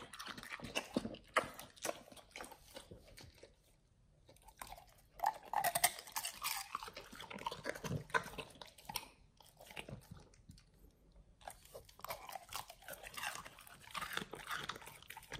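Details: Pit Bulls eating a raw feeding combo of beef trimmed chunks, quail eggs and duck wings indoors: bursts of wet crunching and biting, pausing briefly near four and eleven seconds before the gnawing resumes.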